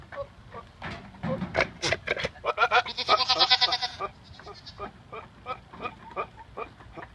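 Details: A buck goat that has caught someone's scent makes weird noises: rapid, rhythmic, rasping pulses with buzzy harmonic bursts, several a second, swelling to a dense rattling stretch and then fading to spaced snorts.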